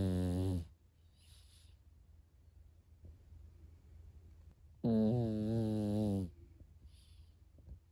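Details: Pekingese dog snoring while asleep indoors, said to snore like a person: a short, harsh, harmonic-rich snore, then a quiet pause, then a longer rasping snore of about a second and a half.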